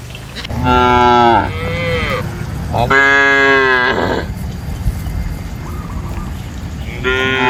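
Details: Cow in an open grassy farm field shared with goats, buffalo and monkeys: two drawn-out harmonic moos about a second each, a brief softer call between them, and a third moo starting at the end.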